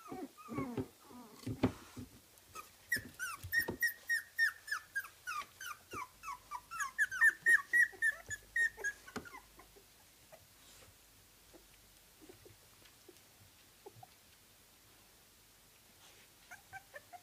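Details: Kooikerhondje puppies, 24 days old, at a Swedish kennel give a rapid run of high, squeaky whimpers and yelps, several each second.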